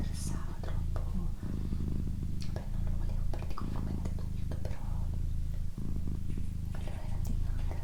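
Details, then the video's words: Female pet cat purring for a relaxation recording, a steady low rumble in cycles of roughly one to one and a half seconds with brief breaks between, while a person whispers softly in Italian over it with small mouth clicks. "Cat Purring"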